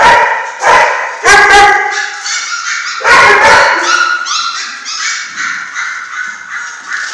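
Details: Six-week-old German Shorthaired Pointer litter, several pups calling together: loud broadband yips in bursts, then a long run of high, wavering whines and squeaks overlapping one another.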